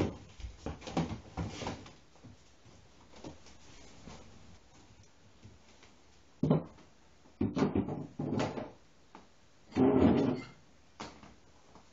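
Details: Gentle plucked guitar and piano music plays indoors in a small room, with scattered knocks and bumps like drawers or objects being moved, and no animal voice.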